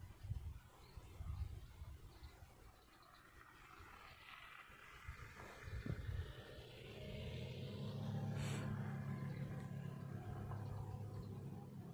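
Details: Steady low engine rumble from a car with broad background noise, swelling louder in the second half; no animal calls are heard.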